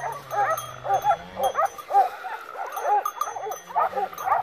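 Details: Pack of Segugio Maremmano hounds on a wild boar hunt in November 2017 near Poggio San Lorenzo, Rieti, Italy; rapid overlapping high yelping bays, about two per second, over a low steady engine-like hum.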